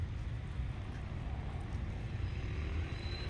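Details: Steady low rumble of passing road traffic outdoors, with no animal voice audible.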